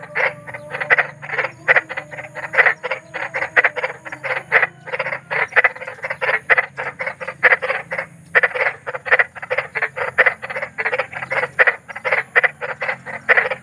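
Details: Night calling of big frogs outdoors: a fast train of short grating croaks, roughly three or four per second, with one brief gap midway and a faint steady hum behind.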